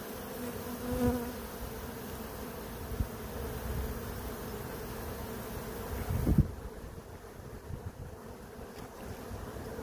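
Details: About 20,000 swarming bees entering a box, in real time: a dense, low buzzing drone. A faint higher hum shows near the start, and a louder bump comes around six seconds.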